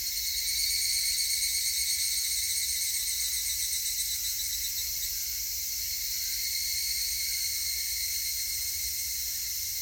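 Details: Higurashi cicadas recorded on 19 August 2018, a dense shrill chorus of layered high-pitched tones that drones on without a break, with a faint pulsing shimmer and no other clear sounds.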